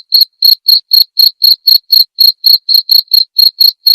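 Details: Clean cricket master recording used to teach murai batu (white-rumped shama) to copy: a steady run of sharp, high, pulsing chirps, roughly four each second, with no other sounds.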